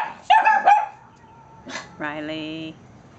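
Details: A young male Cavalier King Charles Spaniel, about 5–6 months old, and a 16-year-old female Toy Poodle hold a morning barking contest at a dog daycare. Quick high, sharp yips are followed by a drawn-out, tonal bark-whine.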